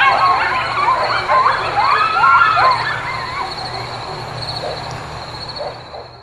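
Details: Coyote. Several coyotes yip and howl together in a tangled chorus of quick, rising and falling cries. The calling is densest at the start and thins out, with a steady high insect-like buzz and a low hum behind it.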